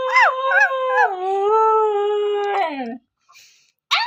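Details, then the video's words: A Husky's howl opens with two quick up-and-down yips, then settles into a long level tone that slowly sinks and fades after nearly three seconds, followed by a short quiet gap and a fresh yip. "Husky Howling"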